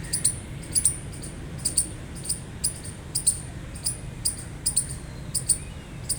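A gray squirrel chirps repeatedly: sharp, high-pitched squeaks, often doubled, coming every half second or so in an uneven rhythm. A low, constant rumble runs underneath throughout.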